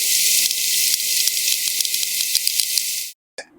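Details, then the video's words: Sperm whales clicking as they communicate with each other in the deep sea: sharp, broadband clicks in an irregular series, about a dozen within three seconds, over a loud, steady hiss, then a brief silence and a final soft burst. "clicks are sperm whales talking to each other in the deep."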